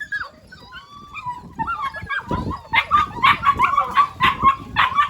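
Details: Seven-week-old Belgian Malinois puppies, a litter of twelve, react to a played recording of husky puppies whining. Drawn-out, wavering whines open the clip, then give way to a quick run of sharp, high yips and short barks, about two per second.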